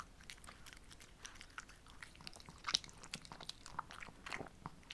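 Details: Indoor eating show of two female Shih Tzus with simple homemade treats on a muggy summer day: brittle crunching and snapping bites in quick irregular bursts, a few sharper clicks, close and dry.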